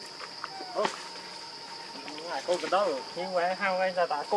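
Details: Baby monkey named Leo crying and begging its mother for milk; after a quiet start, wavering, warbling tonal cries rise and fall in quick bursts, with a steady high electronic-like hum throughout.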